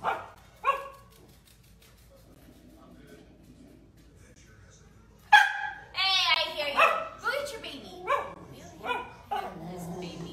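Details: Dachshund, a sausage dog, barking: two short yips in the quiet opening, then after a pause a rapid, uneven burst of high, sharp barks and yelps with faint background hum.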